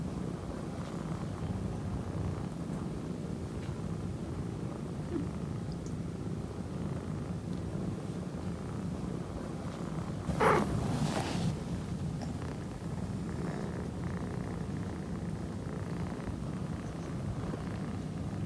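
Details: Affectionate orange tabby kitten, male, purring in a continuous low throbbing drone; a brief rustling burst breaks in around the middle, then the even rumble carries on to the end.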